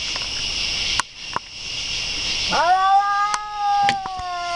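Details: Cat starting a drawn-out yowl with a quick upward swoop, then holding an even, droning wail, with a few sharp clicks and a steady high hiss in the background.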